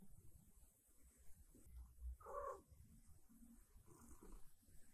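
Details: Morning at home with Siberia, a silver tabby cat, who wants breakfast and gentle strokes. A soft low purr rumbles throughout, and a short mid-pitched meow rises out of it near the middle.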